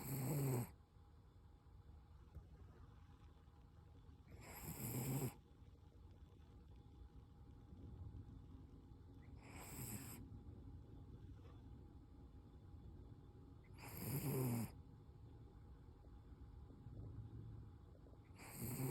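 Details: Koro, a Toy Poodle, snoring while asleep: four loud, raspy, breathy snores come at intervals of roughly four to five seconds, each lasting under a second, with faint quiet breathing between them.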